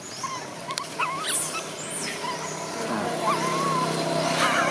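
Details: A baby macaque in Siem Reap, Cambodia, cries in a tantrum after its mother refuses to let it nurse. Thin, high, whistled whines waver and rise in short bursts over a steady wash of outdoor noise.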